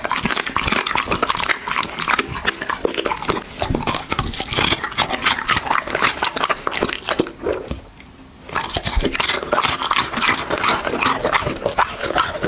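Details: Pet dog chewing food in an ASMR eating session, steady rapid crunches and wet smacks packed closely together, pausing briefly for about a second before the crunching resumes just as dense.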